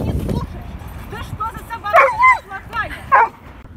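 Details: Doberman during a training session, giving several high, wavering whines that bend up and down, with a woman's voice at the start.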